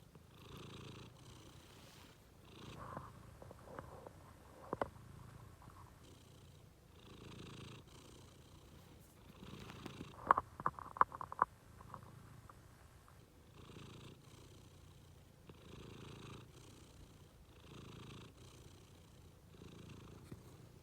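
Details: Pet cat relaxing at bedtime, purring softly and steadily in rhythmic pulses that rise and fall with each breath, with a short burst of sharp clicks near the middle.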